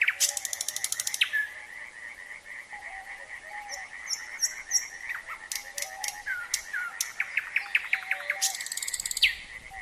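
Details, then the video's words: A steady, trilling frog chorus hums underneath a nightingale's varied song of rapid rattles, clear whistles and sharp chirps. "Nightingale and frogs singing"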